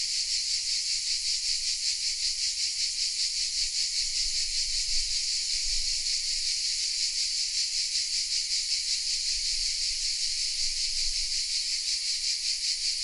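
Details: Many cicadas singing together, hidden in oaks at Vézénobres in the south of France, Sony RX10 M3 recording. A loud, continuous metallic buzz with a quick, even pulsation, and occasional faint low rumbles of background noise.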